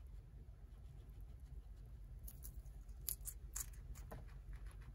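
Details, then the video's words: Guinea pig named Tot eating romaine lettuce indoors; crisp crunchy bites and snaps come in short irregular bursts, loudest in the second half, over a low steady hum. "Guinea Pig Eating Lettuce"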